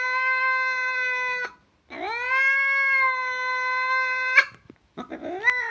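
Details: Domestic cat producing two sustained, steady meows, each about two seconds long, the second swooping up from low at its start, followed by a shorter rising cry; no other sounds.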